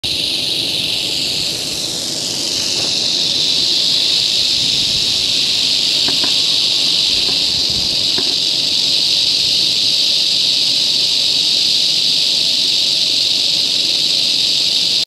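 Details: Huge, angry western diamondback rattlesnake rattling its tail: a loud, steady, high-pitched buzzing hiss that runs without pause for the whole fifteen seconds, with a few faint clicks in the background.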